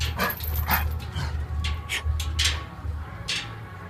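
Rottweilers fighting, with sharp, irregular barks and yelps over a steady low hum.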